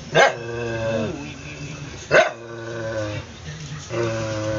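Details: Two sharp barks, two seconds apart, each followed by a sustained low, even growl that trails off, from Cody, an adopted former stray aspin dog.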